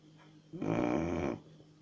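A Chow Chow gives one rough, rattling snore lasting under a second.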